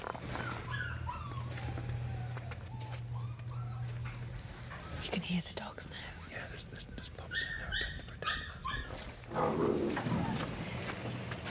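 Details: Dozens of puppies just weeks old, huddled together without their mothers inside old disused trailers on a freezing, snowy puppy farm, whimper in high, thin, wavering whines, with a man speaking quietly and a low hum.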